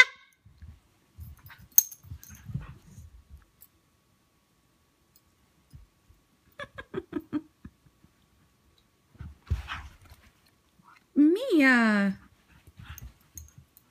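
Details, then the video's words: Siberian husky puppy meeting an older Siberian husky in rough play or fighting: scattered short grunts and yips in bursts, then a clear rising and falling whine about a second long near the end, with quiet gaps between. "Siberian Husky Love: Mia & Portia the Puppy: Fighting or Loving?"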